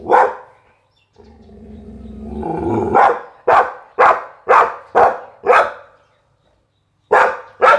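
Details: Pit Bull dog giving a single bark, then a rising throaty growl-like sound leading into a fast series of about six forceful barks, a short pause, and two more barks.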